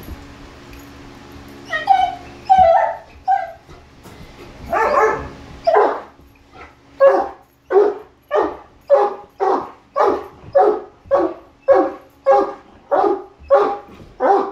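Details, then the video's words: Great Dane, one of three males, reacting to a Halloween mask: a few whining yelps open, then loud deep barks repeat steadily, roughly one or two per second, until the end. "Great Dane Halloween Mask Freakout!"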